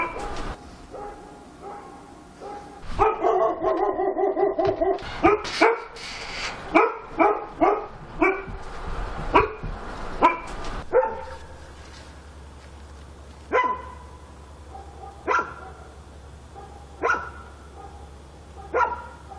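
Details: Dog barking at night in Korea: a rapid, loud volley of harsh barks in the first half, then single sharper barks spaced about every two seconds, with a low steady hum beneath.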